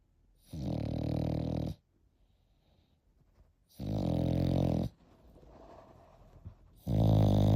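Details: Eight-month-old French Bulldog puppy snoring indoors: deep, rumbling inhaled snores about a second long, spaced by quieter wheezy breaths, three loud snores in a row.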